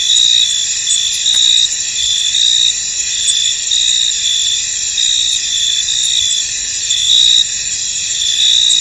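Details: Crickets chirping in a misty field, a thick high-pitched wall of sound with clearer chirps pulsing near once per second, irregularly spaced, and one brief click partway through.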